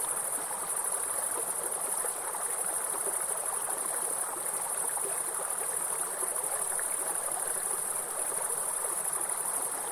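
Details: A shrill, unbroken high trill from grasshoppers in a forest fills the scene, wavering a little in strength, while a waterfall and stream rush steadily beneath it.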